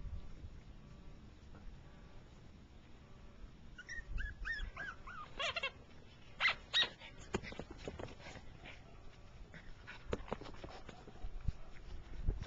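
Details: Four-week-old Jack Russell Terrier puppies whimpering: after a quiet start, a run of thin, high, wavering whines that rise and fall, then scattered short squeaks and soft rustling.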